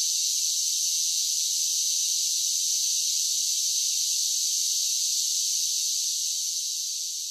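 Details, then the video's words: Summer cicada song forms a continuous high, shimmering drone that stays level for most of the stretch and then eases slightly softer at the very end; nothing else is heard. "10 Hours of Cicada Sounds for Relaxation with Soothing Summer Nature Sounds"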